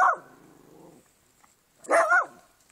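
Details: Shih Tzu dog barking to protect its owner from a garden gnome: a sharp bark trailing into a low growl, a second of quiet, then a louder double bark with a wavering pitch.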